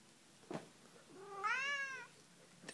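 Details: Pet cat lets out one rising then falling meow, loud and tonal, with a couple of soft knocks before and after in a quiet room.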